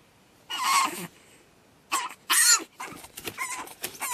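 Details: Pug puppy named Batman on his second night, screaming: harsh, noisy bursts of squealing with raspy high overtones, separated by short pauses, then a run of quicker shorter squeals.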